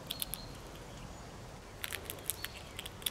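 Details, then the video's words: Red squirrel gnawing and nibbling, heard as faint scattered dry clicks and ticks over a soft steady background hiss, bursts clustering near the start and toward the end. "Eekhoorn (knabbel)"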